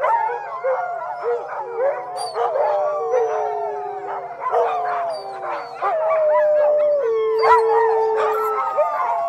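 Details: Group of dogs in a sustained howling chorus, steady long notes layered under frequent quick yelping rises and falls, continuing without a break and swelling louder toward the end.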